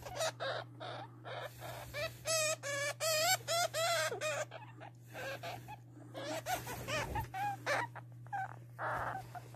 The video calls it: hamster sound//صوت هامستر